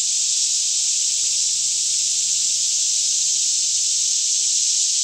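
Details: Cicadas singing in a daytime chorus all around a lush green Kentucky forest near Franklin, about 10am in fairly still air, recorded in stereo with a Canon 5D Mk2; a steady, unbroken high-pitched hiss-like drone with no pauses.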